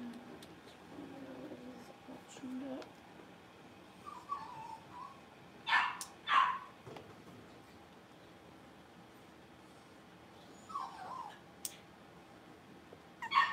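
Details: Young blenheim Cavalier King Charles Spaniels, one of five littermates born around New Year, playing in a puppy pen. Soft murmuring sounds are followed by a pair of high yips around the middle, then scattered single yaps and a final bark.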